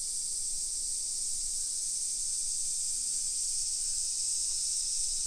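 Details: Summer cicadas heard on a walk through suburban Nisshin near Nagoya, Japan, 1 PM, 28 July 2021: loud, unbroken shrill hissing drone filling the air, only faint low traffic-like rumble below.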